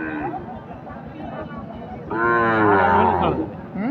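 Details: Sahiwal bull calves for sale at Ambari market, which runs on Fridays and Mondays: a single drawn-out, low, harmonic moo lasting over a second, preceded by buyers and sellers haggling over prices amid crowd chatter.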